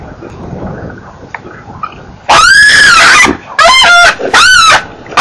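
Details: Baby baboon squealing during an attempted snatch at NK, 23 September 2008: after quiet background, three loud, harmonic squeals, each arching up then down, the first about a second long and the next two shorter, in quick succession.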